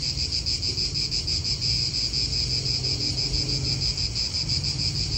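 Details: An even, shrill cicada buzz pulses quickly and without pause in an Italian park. Soft low wind noise runs beneath it.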